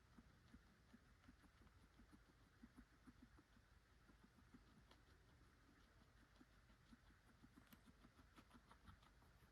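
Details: A guinea pig eating carrots on May 11, 2024 crunches steadily, with quick, soft gnawing clicks repeating several times a second.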